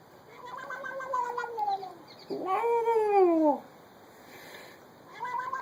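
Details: Domestic cat making a strange sound: a long, wavering meow sliding downward, a short pause, then a louder drawn-out arched meow that rises and falls, with the start of another meow at the end.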